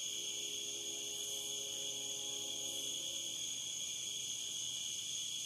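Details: Steady, shrill cicada drone from the Licking River in Morning View, recorded dusk to dawn, with faint pulsing swells and a quiet low tonal sound beneath during the first three seconds.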